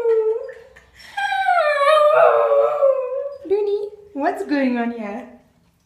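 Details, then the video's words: Milly, a singing spaniel, indoors, gives drawn-out wavering howls that slide slowly downward, break off, then resume with a sharp upward swoop before easing down and stopping. "Milly the singing spaniel"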